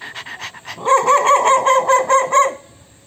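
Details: Angry dog reacting to an annoying sound, giving a run of short tonal bark-like yelps, about eight in quick irregular succession over two seconds, after brief softer sounds, with a steady high background hiss.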